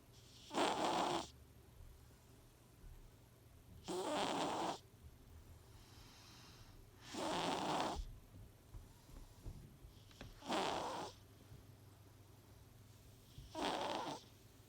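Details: Coconut, a pet cat declared healthy by the vet, snoring while asleep: five rough, breathy snores at steady intervals of about three seconds, each a broad noisy burst, with quiet pauses between.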